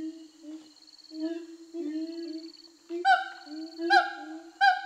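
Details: Siamangs in Sumatra, freed over a year earlier, sing a territorial song with the female backing the male: low drawn-out hoots and short rising notes, then, after three seconds, loud sharp whooping barks about once a second.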